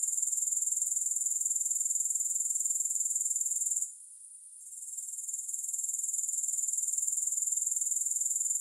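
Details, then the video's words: Grasshoppers with no music, giving a thin, piercing, steadily pulsed trill at roughly four beats a second, interrupted once midway by a short near-silent dip before the chorus climbs back. "Grass Hopper Sounds"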